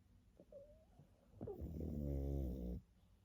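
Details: A pug snores in its sleep: a small whistly squeak and soft breaths, then a long, low, vibrating snore with a buzzing rattle.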